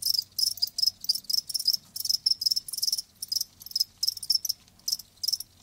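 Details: Live crickets with bright, high-pitched chirps grouped into quick bursts of a few pulses each, repeating steadily, over a quiet low background rumble.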